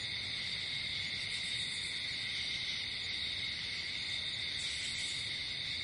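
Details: Night-time cricket chorus in nature: continuous shrill, even trilling with stacked high tones that never pause, over a soft low-pitched rumble.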